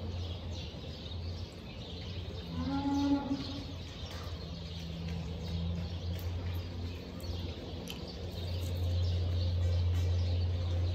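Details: Cow mooing just after giving birth while her newborn calf is checked; one short harmonic moo around the third second over steady low rumbling background noise, with faint scattered chirps.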